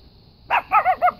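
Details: Gizmo, a Brussels Griffon dog, yodeling just before giving chase to a rabbit: three loud, wavering yelps in quick succession, each bending up and down in pitch with rich overtones, over a quiet outdoor background.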